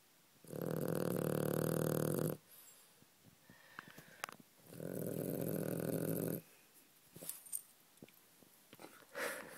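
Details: Dog snoring in its sleep indoors: two drawn-out, rasping snores of about two seconds each, four seconds apart, with soft rustles and small noises in the quiet gaps.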